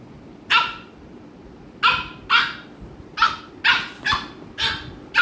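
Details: American Bully pair Ami and Mikku in Kerala, with Ami pestering Mikku; a run of eight loud, bright, sharp barks at uneven intervals, often in quick pairs, over faint household background.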